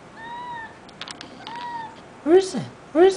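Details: Molly, a domestic cat, chatters at a dragonfly: soft steady tones, then a quick burst of clicks, then two loud chirping meows that rise and fall near the end. A person's voice is heard beforehand.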